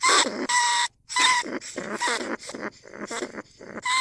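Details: Caged lesser bandicoot rat calling to other rats in rice fields at Na Lao, Nong Khu Phai. Rapid, grating squeals come back to back, some with a wavering buzzy quality, broken by one brief pause.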